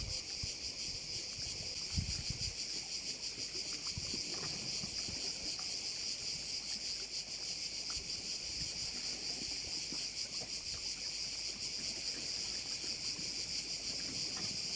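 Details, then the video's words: Insect chorus of crickets beside a bay in Korčula, Croatia, a continuous high buzzing that throbs in quick regular pulses, over faint low wind and lapping-water noise. "Korčula - view of one of the bays in Korcula with sounds of crickets"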